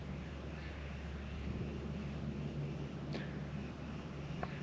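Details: Steady low engine-like rumble and background hum with a couple of faint clicks, no animal calls. Nothing else stands out.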